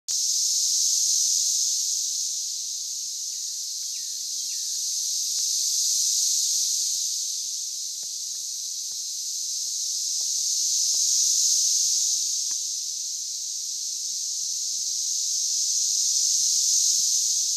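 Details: Huge numbers of 17-year periodical cicadas emerged in Oklahoma on June 9, 2013, and chorus very loudly. A steady, high, hissing drone like TV static swells and fades in slow waves about every five seconds, with occasional faint clicks beneath.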